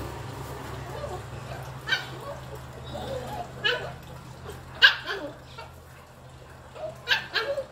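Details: Young dog at play with a broomstick, letting out scattered sharp yaps at irregular gaps of one to two seconds, the loudest near the middle, against a quiet humming room.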